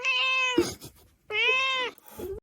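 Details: Domestic cat giving two loud, drawn-out tonal meows, each about half a second, steady then dropping at the end, with a brief rough sound between them and a short third call at the close.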